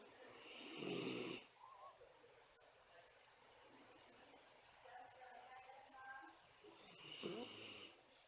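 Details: Miniature Schnauzer napping in the daytime, breathing with a whistling hiss. Two loud, breathy snore bursts with a sharp hissing edge, about six seconds apart. Quiet, soft breathing fills the gap between them indoors.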